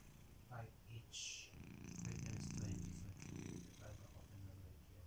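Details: Kitiboy, a pet house cat, snoring indoors while asleep: low rumbling, purr-like breaths swelling into a louder, sustained stretch mid-clip, with a few short higher sounds near the start.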